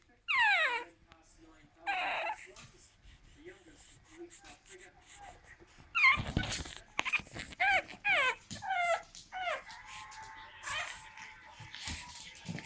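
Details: An 8-week-old pug puppy trying to climb onto a sofa indoors gives high, wavering whimpers and whines in short bursts, some falling in pitch, with a person speaking nearby.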